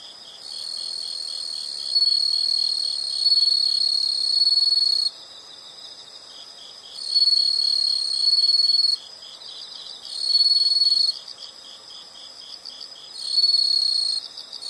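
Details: Insects in a nature soundscape, loud high buzzing trills switching on and off every few seconds, each lasting one to three seconds, layered over a quieter rapid pulsing chirp that runs throughout.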